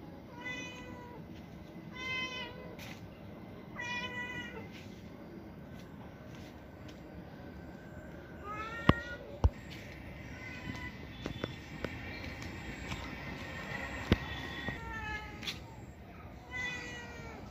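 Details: House cat meowing repeatedly, short falling meows roughly every two seconds at first, then a pause with a few taps and clicks before more meows return near the end.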